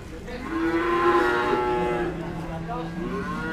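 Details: Cattle at Pasar Sapi Kliwonan, a Kediri, East Java cattle market open on Kliwon days; a loud, sustained moo with rich harmonics swells and then tapers off, over a low background murmur of people.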